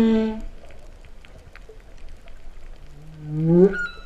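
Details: Humpback whale song recorded underwater off Vava'u, Tonga, in September 2015, described as cow-like mooing. A low droning moan fades out, a quiet gap follows, then a groan climbs steeply upward and breaks off.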